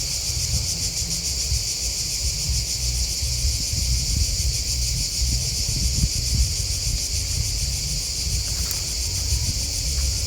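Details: Crickets chirping in a dense, steady chorus, a shimmering high pulsed trill that runs unbroken throughout, over a constant low rumble of background noise.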